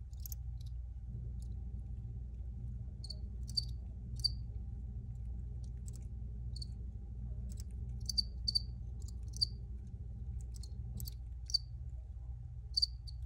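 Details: Crickets in an original field recording, giving short high chirps, single or in quick pairs, scattered irregularly over a steady low hum that dominates the background.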